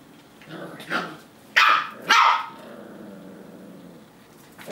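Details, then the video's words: Eight-week-old foster puppies, a Labrador and an Australian Cattle Dog, learning to bark while play fighting indoors; two sharp yappy barks close together after a softer lead-in, with quieter background rustling. "Silly Lab and Aussie Cattle Dog 8 week old foster puppies learning to bark and play fight"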